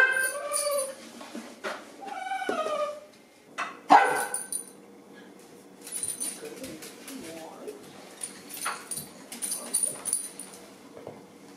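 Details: A pet dachshund whining for breakfast while another barks: high, wavering whimpers open the clip, followed by a single loud bark and then quieter, scattered yips and whines.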